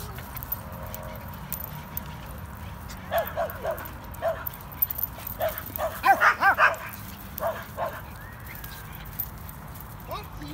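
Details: Two playing dogs, Corgi Nessi and Chihuahua mix Miles: a quiet start, then scattered yappy barks build into a quick burst of several loud barks, easing off into sparse yips.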